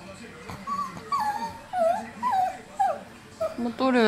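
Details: A Yorkshire Terrier on the floor whimpers in wavering, high whines, appealing insistently for something its owner cannot work out.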